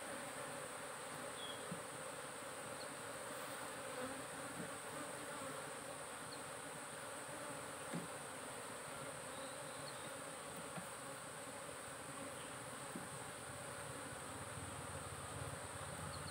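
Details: Cultivated honey bees humming around their hives, producing a soft, even, broadband drone that holds steady throughout with faint tonal bands and a slight hiss.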